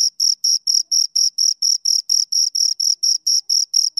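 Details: Two crickets chirp in a rapid, even series of short high trills, roughly four pulses a second, each pulse a crisp scraping note with a thin higher ring above it, against total silence.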